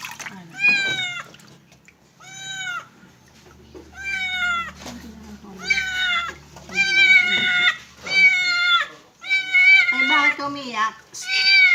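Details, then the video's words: Kitten during its first bath, meowing repeatedly: loud, bending, plaintive cries every second or so, growing more frequent and insistent, with faint low voices in the background. "First Bathing Experience"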